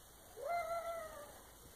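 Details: Domestic cat uttering a single clear meow lasting about a second, starting with a quick upward slide, then holding steady in pitch before fading out, over a quiet background hiss.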